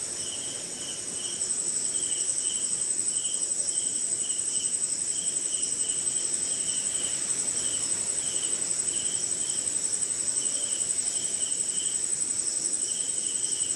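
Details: During a short rainy night in India, crickets and other insects sing: shrill unbroken high trill layered with clustered chirps at a moderate pitch, all over steady rain patter that swells after the first second.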